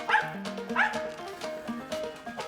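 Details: A female squirrel dog on a squirrel hunt in the Eastern Kentucky woods in August gives two short, sharp treeing barks at a squirrel up a tree, over steady background music.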